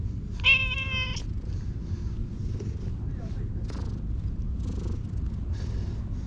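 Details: Stray cat met in a park and petted at length gives one clear, drawn-out meow lasting about a second with a strong harmonic ring. Low steady rumble and soft rustling follow.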